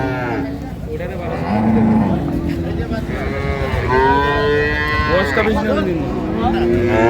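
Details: Dairy cows and young heifer calves for sale at Ambari market, Dinajpur, 9/3/25. Repeated drawn-out lowing calls rise and fall, some arching in pitch, amid constant talk of traders and a busy crowd.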